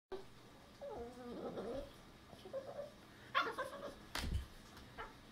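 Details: A frustrated Boston Terrier puppy, unable to fit under a futon, whines in wavering, rising-and-falling notes, with a few sharp yips between.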